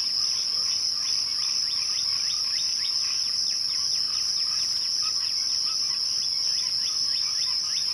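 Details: At twilight, crickets hold a steady high-pitched ringing trill while a quick, regular series of short lower chirps repeats several times per second across the whole clip.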